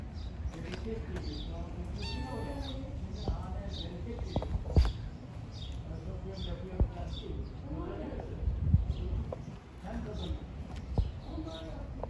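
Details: Street kittens living outdoors, being given food, meow in short, repeated high calls, several crowded together early on, then scattered later, over a steady low rumble and human voices.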